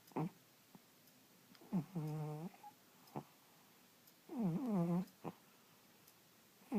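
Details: Sleepy cat snoring in a small room, a steady cycle of buzzy, harmonic snorts lasting about half a second each, with faint short breath clicks between them and a quiet background.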